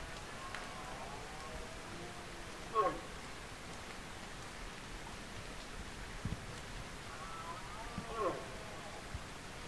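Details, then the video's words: Berrea of red deer, rut season 2024: two short, rough roars about five seconds apart rise above a quiet outdoor background of rustling and a few thuds. "Berrea 2024"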